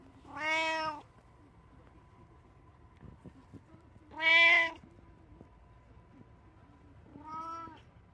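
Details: Three separate meows from a domestic cat in a three-cat household, each short and tonal with a gently falling end, spaced about three to four seconds apart, the middle one loudest, with faint room noise between.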